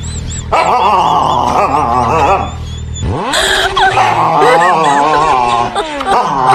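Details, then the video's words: A Siberian Husky shouts in wavering yodel-like howls and yips, broken by a sharp swooping sound effect midway, with a low hum and a clatter underneath. "Funny dog Husky shouting"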